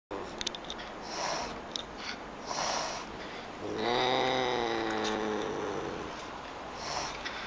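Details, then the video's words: Angry Pallas's cat hissing: short breathy bursts of broadband noise near one and two and a half seconds, then a longer low, harmonic growling moan from about four to five and a half seconds, over a constant high electrical whine. "Pallas' cat hisses and get angry!"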